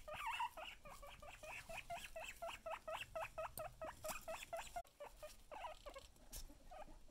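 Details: A pet guinea pig teased with food, giving a rapid run of short, high, squeaky whistles, about two per second, each with a sharp upward-hooked shape, over faint rustling.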